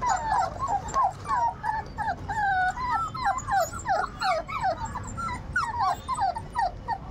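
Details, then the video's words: Labrador retriever puppies, 38 days old, whimpering and yipping in a rapid stream of short, high, wavering cries that slide up and down, roughly three per second, overlapping one another with little pause. "Labrador dog Puppies 38 days old puppies cute moment"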